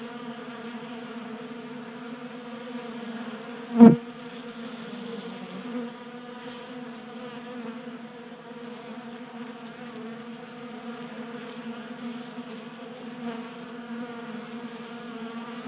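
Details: Several honey bees feed at a 3D-printed feeder on a garage workbench in Colorado during an unusually warm January day. Their low, even buzzing drones on, broken once by a sharp click just before four seconds.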